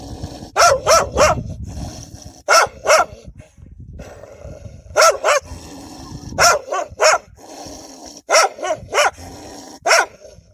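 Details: Wild dogs barking aggressively to protect their young; sharp barks in pairs and triples every second or two, with a low growl and shuffling noises underneath.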